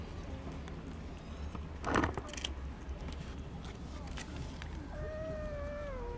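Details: Sick, skinny rescued stray kitten, about to be given wet cat food with its friends, lets out one drawn-out meow that holds level and then slides down at the end, after a brief thump, over a low steady hum.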